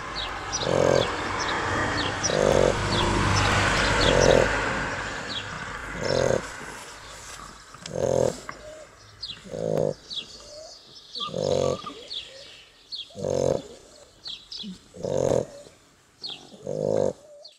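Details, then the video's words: Sleeping Shar Pei puppies, two of them, tired from playing. A noisier stretch at first, then a long run of rhythmic rasping snores nearly every two seconds, with light high chirps in the background. "Shar Pei Puppies Snoring | Cute Snoring Shar Pei Puppies"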